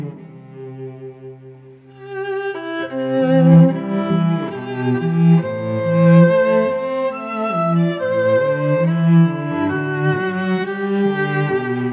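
Bowed string music, mostly cello, plays throughout with no animal voices heard.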